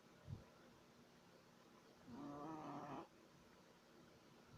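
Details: A 3-month-old Shih Tzu puppy snores with a single drawn-out, slightly wavering nasal whistle lasting about a second.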